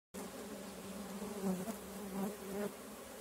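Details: Close, louder buzzing of stingless bees from kept colonies, the drone swelling and fading as bees fly past in short surges.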